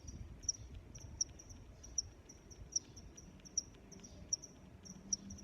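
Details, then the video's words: Cricket song of regular, piercing high chirps, roughly every 0.8 seconds, with weaker accompanying chirps and a light low-frequency background. "Sounds of Crickets"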